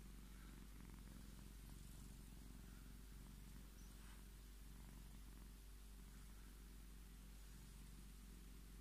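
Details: Scottish Fold cat purring while asking to be petted; steady low rumbling purr with rhythmic pulsing, regular breathing-linked swells through the clip, quiet indoor background.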